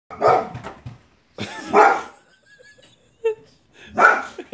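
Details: Angry white female Boxer barking at a man cleaning a neighbour's gutters: three loud, harsh, broadband barks spaced about two seconds apart, with short quiet gaps and faint low sounds between.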